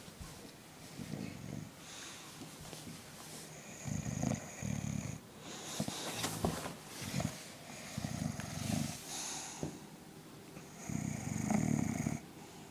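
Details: Spike, a sleeping bulldog, snoring indoors: low rumbling snores repeat about every two to three seconds through the recording, with faint rustling between breaths.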